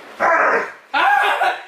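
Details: Border Collie at home reacting while its owner teases it during play, giving two loud, drawn-out, whining barks, each lasting over half a second, separated by a short pause.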